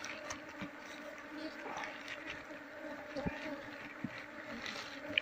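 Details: Wild Asian honey bees (Apis cerana), an aggressive colony, swarm while their wild hive is harvested for honey; a steady, droning hum in low layered tones runs throughout, with faint hiss and a few scattered taps.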